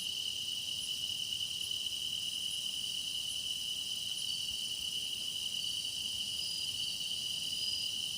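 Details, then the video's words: Meditative grass insect chorus: a constant high-pitched ringing whir, with soft very high chirps repeating roughly every second early on and an unbroken shimmering backdrop. "깊어가는 풀벌레 노랫소리"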